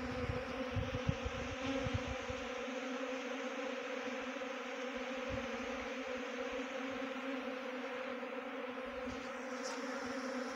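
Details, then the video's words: Honey bee swarm being trapped in a bee box near Chakrata, Dehradun, Uttarakhand: a dense, steady droning hum with a low tone and overtones throughout, plus soft low thumps and handling knocks in the first two seconds. "Best Honey Bee Swarm Trapping"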